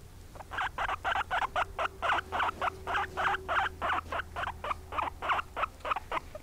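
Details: Pet guinea pigs at home, mother and daughter, one white and one brown, give a loud, rapid string of short squeaky calls, roughly four per second and evenly spaced, over a faint steady hum.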